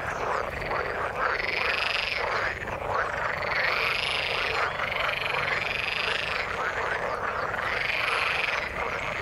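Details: Frogs in the water call in a loud chorus, bright trilled notes arching upward and down in waves roughly every second or two over a dense croaking background.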